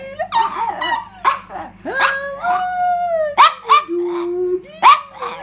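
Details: Indoor female Yorkshire terrier joining its owner's song: a drawn-out tonal howl gliding slowly down, then a low steady note, broken by sharp yelping whimpers and short bursts of human singing.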